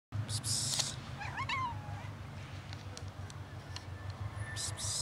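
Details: Street cats roaming a community, four of them, being offered real cat food; one short, tonal meow rising and falling near the middle, over a steady low hum, with brief hissy rustles at the start and end.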